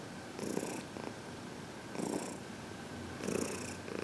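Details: Senior female domestic cat, 14 years old and adopted from a shelter, purring during a head massage indoors; steady low rumbling purr with rhythmic swells about every 1.4 seconds, alongside soft rubbing sounds.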